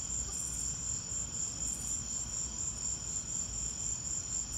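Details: High-pitched pulsed cricket chirps during a lightning storm, a rapid even rhythm running throughout, with a constant low rumble underneath.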